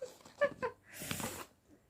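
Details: A pet cat named Kuttimalu, described as in 'psycho mode', gives a short, breathy broadband hiss lasting about half a second, right after a woman's voice speaking Malayalam indoors in a small room.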